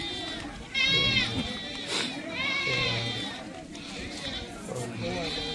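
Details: At a bustling Punjab goat market in Rakhala, held each Wednesday, a Beetal goat gives several rising-falling bleats, the first loudest, amid constant background chatter of buyers and sellers.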